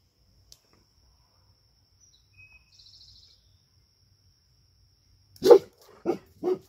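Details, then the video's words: Dog named Sadie in a garden, alerted by her owner to a deer and chasing it away, three short sharp barks near the end after several quiet seconds with faint background chirps. "Dog Chases Away Wild Deer in Garden"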